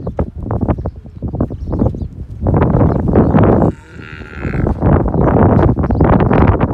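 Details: Kankrej cows and bulls in the wild Kankrej region of Kutch, Gujarat, with a loud sustained low lowing rising out of dense rapid knocking and rustling noise, then a brief quieter pause before the clatter resumes.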